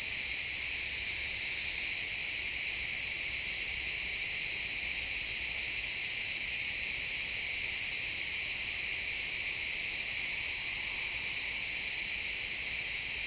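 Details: Sunset in a pine forest with a chorus of chirping crickets, a thick, continuous high shimmering buzz of overlapping tones, steady from start to finish, backed by faint low natural woodland sound.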